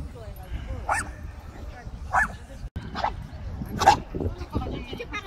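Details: Jangsu, a pet long-haired Chihuahua on a trip to Ganghwa Island, lets out four spaced, abrupt barks while people chat nearby under low rumbling noise.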